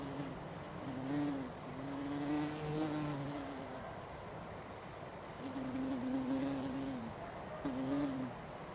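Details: A bumblebee (Bombus) on a flower gives a low, droning buzz that wavers in pitch and fades in and out.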